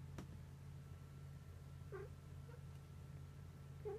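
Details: Indoor rescued cats, an older resident cat watching a rescued kitten. Three brief, soft meows, the first and last rising slightly, spaced over a few seconds against a constant low electrical hum.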